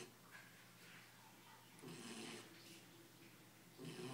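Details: Ten-week-old Belgian Malinois puppy, tired and asleep indoors, snoring softly; two raspy, breathy snores with a low buzzing undertone rise out of a quiet room hiss.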